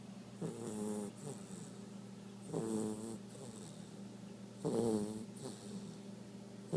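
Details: Morning-nap snoring from Dusty, a blue Great Dane puppy two months old: rattling, buzzy inhalations about every two seconds, each followed by a shorter softer breath, over a constant low electrical hum.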